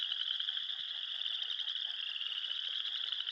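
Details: A dense, unbroken chorus of frogs calling in the spring mating season at a beaver pond on an early spring morning, Elk Island National Park, Alberta: high, rapid trilling notes blurring into a steady buzzing wall of sound.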